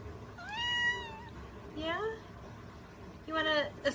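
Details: Domestic mother cat playing and talking with her kittens: three clear, drawn-out meows, the first rising then level, the second a quick rising-falling mew, the third more strained, spaced over four seconds in a quiet room.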